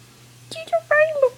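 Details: A 9-week-old American Pit Bull Terrier puppy named Junior, indoors in a small room, in a barking contest with its owner: a few short, high, tonal yelps, the last ones drawn out and sliding downward.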